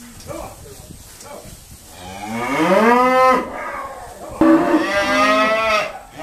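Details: Irish Dexter cow lowing while the herd is sorted at Stone Meadow Farm: a long rising moo swelling loudly around three seconds, then another strong drawn-out moo, with fainter calls and a sharp knock between.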